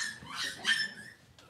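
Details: Cavalier King Charles Spaniel puppy indoors on a kitchen camera on a cloudy Monday morning, giving two high, thin, harmonic-rich whining squeals within about a second, then a faint short whimper; quiet room otherwise.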